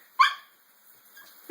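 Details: Female pet dog that hates baths, at bath time indoors; a single sharp bark near the start, then quiet.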